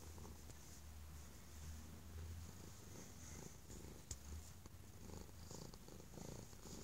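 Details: A stray cat, believed by the person who took it in to have been mistreated, purrs very loudly once brought inside to safety: a deep, steady rumble with a pulsing rhythm.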